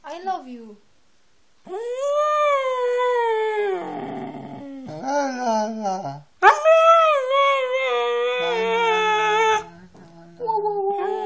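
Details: A Siberian Husky gives drawn-out, wavering howls and yodels that slide up and bend down, broken by shorter talking yowls, while a person repeatedly tells the dog "I love you" between howls.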